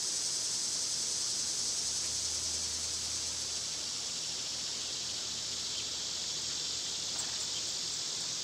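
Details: Loud summer cicadas produce a steady high-pitched electric hiss throughout, with a couple of faint brief clicks near the end and a soft low hum early on.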